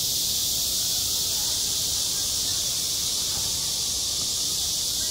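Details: Cicadas singing in high summer on a school playground, a steady, dense, hissing high-pitched drone with no breaks, unchanging in loudness throughout.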